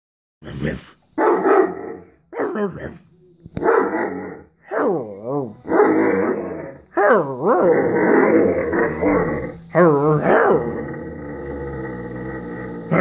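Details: Irish Wolfhound that wants to play but will not stand up, giving short gruff bursts mixed with wavering, moaning grumbles that rise and fall, in uneven runs with brief pauses.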